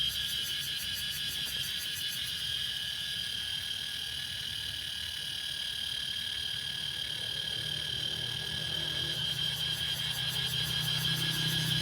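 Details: Cicadas in Laos giving a continuous high, shrill drone with steady tonal bands, a fast pulsing rasp overlaid at the start and again near the end, over a faint low rumble.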